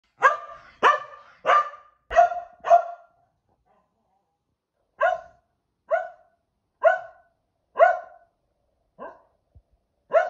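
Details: Kumo, a Keeshond dog, barks repeatedly indoors: a fast burst of five sharp, clipped barks, a brief pause, then a slower run of seven single barks spaced about a second apart, each with a bright harmonic ring.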